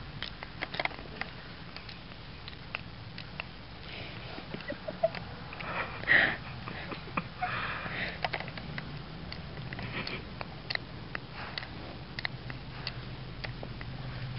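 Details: A sleeping female Boston Terrier makes rapid, irregular dry clicks, like a clock ticking.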